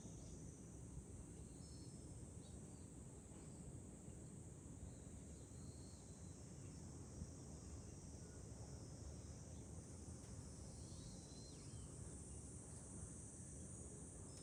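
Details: July cicada chorus from a high vantage point above Fukuoka city, Japan: an unbroken shrill buzz sustained throughout, with constant wind roar filling the low end.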